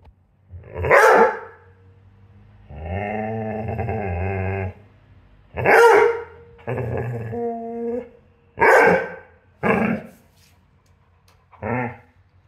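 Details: Young Rhodesian Ridgeback demanding attention: loud sharp barks every few seconds, alternating with drawn-out groaning, whining growls and moaning vocal sounds, indoors with no other clear sounds.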